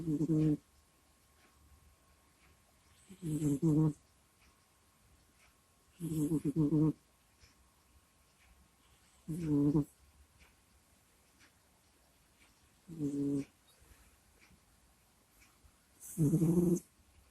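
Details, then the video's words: Kusya the cat asleep by a microphone, snoring and groaning: six short harmonic rasping breaths, roughly every three seconds, each with a breathy hiss, over a faint steady hum indoors. "Прикольный Кот Куся Сопит, Храпит, Стонет и Кряхтит во Сне в Микрофон"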